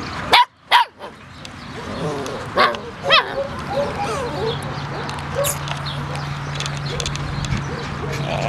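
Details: Puppies barking indoors: two sharp, high yips in quick succession at the start, then two more short barks a couple of seconds later, over a steady low hum and soft background rustling.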